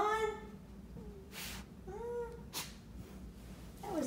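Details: Two Basenjis, Zinga and Zulu, play-wrestling together: several tonal whining cries with bent rising and falling contours, separated by sharp broadband scuffling bursts from the tussle.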